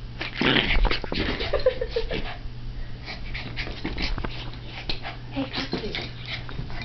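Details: A 3½-month-old Shiba Inu puppy playing with his favourite toy gives short, throaty yips and grumbling vocalizations in irregular bursts.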